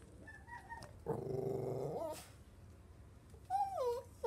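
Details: Jack Russell Chihuahua mix mother with her five newborn puppies: a low, rough growl lasting about a second, then a pause and thin, wavering high-pitched whines near the end, over a quiet steady background hum.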